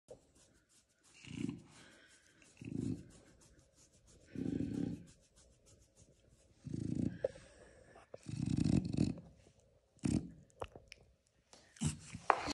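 A French Bulldog makes low, rough grunting snorts in bursts about every two seconds.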